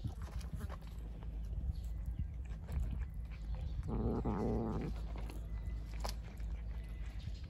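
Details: Female stray calico cat that wants to carry her Kalkan food outside. One drawn-out, moaning, harmonic cry lasting about a second comes midway, over a steady low hum and scattered chewing and rustling.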